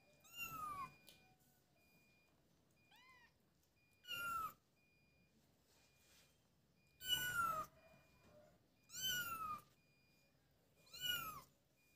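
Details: High kitten meows during play together, six separate calls spaced one to three seconds apart, each bright and bending downward at the end, with a soft steady background hiss between them.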